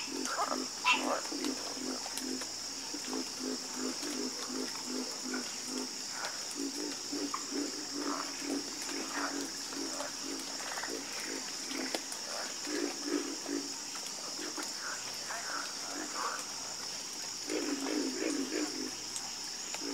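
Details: Night chorus of frogs: many overlapping low croaks, pulsed and repeated in rapid runs, with a constant shrill insect hum above throughout.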